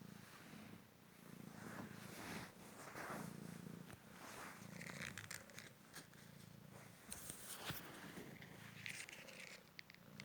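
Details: Male Cymric cat, a rescued street cat recovered from a car-crash leg fracture and hip dislocation, purring during a fetch game: a steady low rumbling purr in pulsing waves, with light clicks and rustles of play on top.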